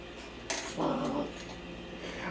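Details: Female puppy barking at a mop indoors: a single rough, mid-pitched bark lasting about half a second, preceded by a sharp clatter and followed by quiet room noise and a loud knock at the end.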